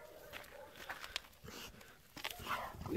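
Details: American Staffordshire Terrier barking during an attack: a series of short, sharp, broadband barks at uneven intervals, five or six bursts over three seconds, fairly quiet, with faint background noise.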